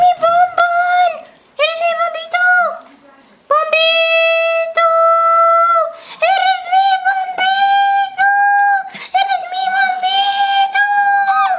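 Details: Singing dog: quick clipped howls open, then long level howled notes follow almost without a break, wavering slightly in pitch toward the close.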